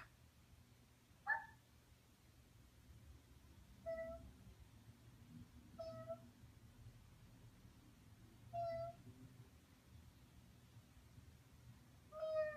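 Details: A sleeping husky, apparently dreaming, gives faint, thin, high whimpers, five short whining notes spaced about two to three seconds apart, over a steady low background hum.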